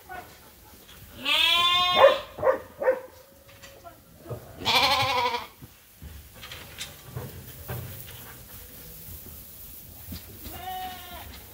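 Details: Sheep bleating for their feed during daily chores on a sheep farm: two strong, wavering bleats in the first five seconds, then quieter shuffling and a softer bleat near the end.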